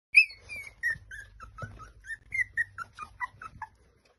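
Basenji puppies give a quick run of high, whistled whines, each note sliding downward.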